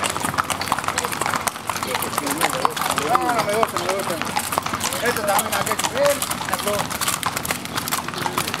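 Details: Criollo riders parading at dusk down Avenida San Martín, Pampayasta, Saturday 3 December 2016; rapid clattering hooves throughout, with a man talking in Spanish and other voices around.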